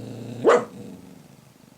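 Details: Dog barking in its sleep and then waking, recorded 19 December 2017: a single short muffled woof around the half-second mark, then a quiet room with soft low rustling.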